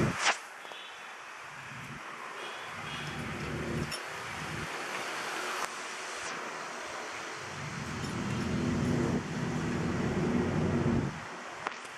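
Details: Outdoor wind rumble and a passing vehicle-like roar, with no animal voice heard.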